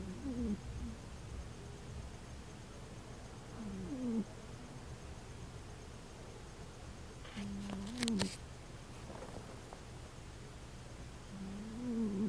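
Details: Senior female dog sleeping and snoring: wavering, whistly snore tones that slide downward, recurring roughly every four seconds over a steady low hum.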